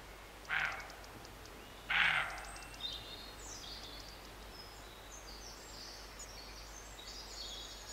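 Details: Roe deer barking near Morpeth, Northumberland, in August 2012: two short, harsh, rasping barks about one and a half seconds apart, with thin high bird chirps and twittering in the background.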